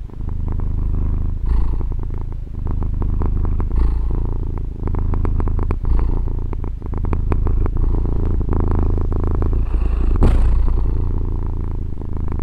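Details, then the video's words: Female pet cat purring, captured on a Tascam DR-40 recorder: a continuous deep rumble with a fast flutter, rising and easing with her breathing every two to four seconds, and a little background rustle. "gatto che fa le fusa"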